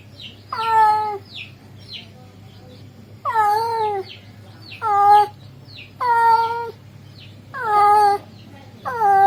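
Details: Male cat calling to a female, its voice described as beautiful: five drawn-out, wavering yowls with rich harmonics, each about a second long, spaced roughly two seconds apart over a low steady hum.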